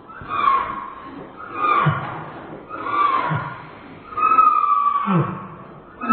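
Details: A Dobermann's whining, played back in slow motion, becomes long, wavering, whale-like moans repeated about every second and a half, strikingly like humpback whale sounds.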